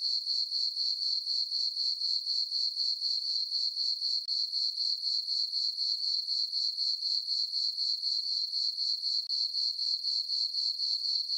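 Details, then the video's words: Chorus of crickets at night on a farm meadow under a full moon in summer; a bright, thin, ringing chirp pulsed rapidly and evenly, about four beats each second, alone in the quiet. "Cricket chirping sounds"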